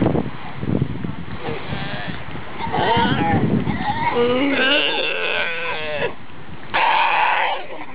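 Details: Galapagos sea lion families in the Galapagos give wavering, bleating calls that overlap, with a low rumble underneath.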